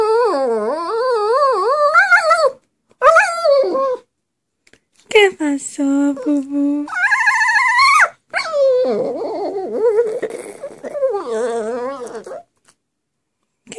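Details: Pet dog Bullet sings in short bursts of wavering, yodel-like howls, some held on a low steady note, others climbing higher, broken by gaps and a human voice now and then.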